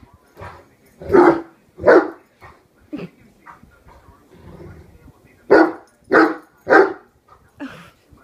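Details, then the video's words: One-year-old Great Dane Horton battles a hairbrush, barking to protect his human family. Heavy, booming barks are spaced irregularly, a pair early and a quick run of three later, with softer vocal noises in the gaps. "Horton vs. Hairbrush"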